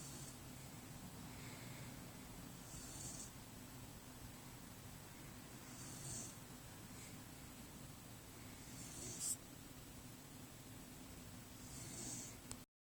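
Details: Pet dog Brynn asleep beneath her blanket, snoring in slow, rasping breaths that swell roughly every three seconds, with a low rumble throughout and one brief sharp click near the end.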